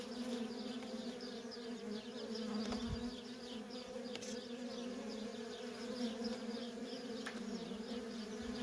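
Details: Dense, even droning of many worker honey bees at a feral colony, a rich humming tone held throughout, with soft descending high chirps scattered in the background.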